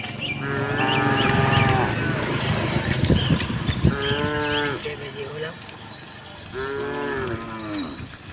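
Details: Herd of tame cows on a cattle farm, roaming and looking for grass; three long, rich moos, each slightly falling at the end, spaced a few seconds apart, with low rumbling and brief bird notes.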